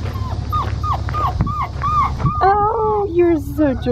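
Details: Blue merle male Australian Shepherd puppy, unhappy after being disturbed while nursing, giving a rapid run of short high whimpering yelps, then a drawn-out whining cry, with a woman talking softly and music.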